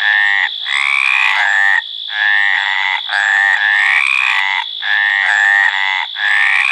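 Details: Mediterranean tree frog (Hyla meridionalis) calling in breeding season: loud, nasal, rasping croaks in long harmonic bursts, some rising slightly, separated by short gaps, with a steady thin high whine underneath.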